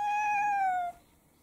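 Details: Domestic mixed-breed cat in a multi-cat household in the morning, giving a single clear, steady meow of just under a second that sags slightly at the end, followed by a quiet room.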